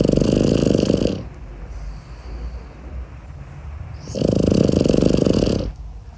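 A Boston Terrier puppy snores in its sleep, each breath a loud, fluttering rasp lasting over a second. Quiet pauses of a few seconds separate the two snores.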